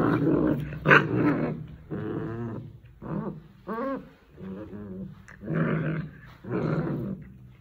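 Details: An angry Rottweiler growls at its owner in deep, rumbling bursts mixed with higher whining yelps.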